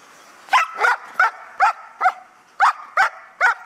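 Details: Protection dog guarding belongings in a training exercise at a Hà Tĩnh, Vietnam kennel, barking repeatedly: a run of eight loud barks at uneven intervals, with a short pause midway.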